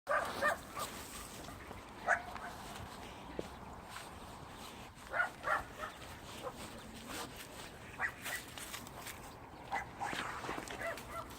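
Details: Jindo dog named Thunder out on a walk and running, giving short, sharp barks or yips spaced a few seconds apart over steady outdoor background noise.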